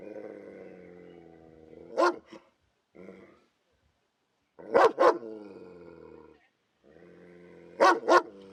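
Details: Protective dog growling in warning, a steady low harmonic rumble punctuated by sharp single and double barks, three bursts across several seconds with brief silences.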